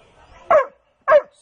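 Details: Pet dog giving two short, sharp barks about half a second apart, each a loud clipped burst, in a quiet room with a person speaking nearby.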